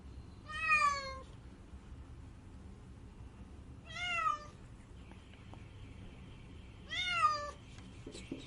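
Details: Cat crying with three drawn-out, wavering meows, each about half a second long and spaced roughly three seconds apart, in a quiet room with a faint hum.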